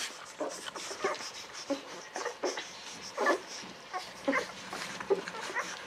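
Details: Newborn Golden Retriever puppies aged eleven to thirteen days, litter of Aiko of Haarby and Lady Dina, giving short squeaky whimpers roughly every half second, guinea-pig-like, over soft background hiss.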